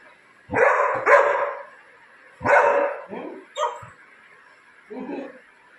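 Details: A Labrador Retriever, excited about a new baby at home, barks loudly. There are several harsh barks in pairs and singles, then softer huffing sounds, over a steady background hum.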